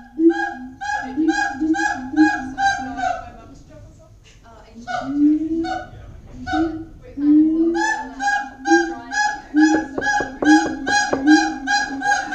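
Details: At Auckland Zoo, siamangs give loud, booming, honking, harmonic calls in rapid repeated bursts, pausing briefly before starting again.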